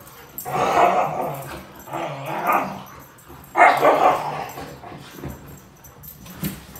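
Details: Two Siberian Huskies, Dante and Antaeus, fighting over a new bed indoors; three bursts of harsh, mid-pitched barking and growling vocalizations, each about a second long, spaced unevenly, with a faint thud near the end.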